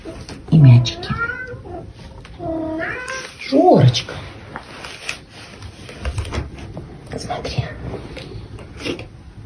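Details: Pet caracal indoors, playing with a gift of a letter and balls: a few short, loud, wavering meow-like calls in the first four seconds, then quieter rustling while a woman speaks Russian to it.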